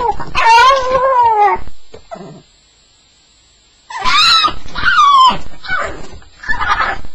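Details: Staffie on its first night, making sounds described as a nightmare: drawn-out whining whimpers with falling pitch, a quiet gap in the middle, then more yelping whines.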